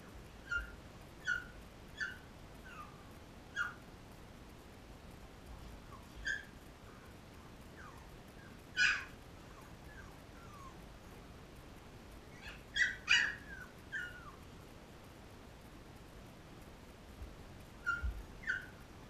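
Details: Labrador puppies, 13 days old, suckling from their mother Cecilia, give short high-pitched squeaks and whines, scattered irregularly and sometimes in quick clusters of two or three, against quiet indoor background noise.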